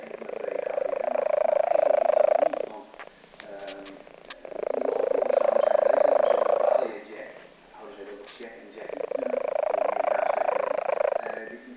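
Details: Fat domestic cat snoring indoors: drawn-out nasal snores, each about two and a half seconds long, come back every four seconds or so with quiet breathing gaps between them.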